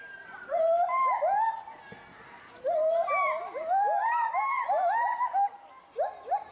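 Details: Captive agile gibbon couple Samuel and Duana at Bristol Zoo Gardens, UK, calling loudly in agitation at something in the bulrushes beneath them. Rapid, overlapping whooping upsweeps climb and tumble in quick succession, two voices interweaving.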